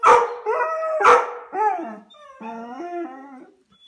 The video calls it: Airedale terrier dog howling